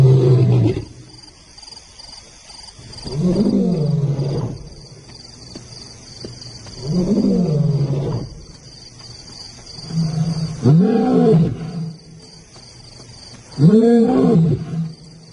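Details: A lion roars in a rival's territory as two newcomers challenge Simba; a series of five deep, swelling roars spaced three to four seconds apart, the later ones rising and falling in pitch, over a constant faint high hum.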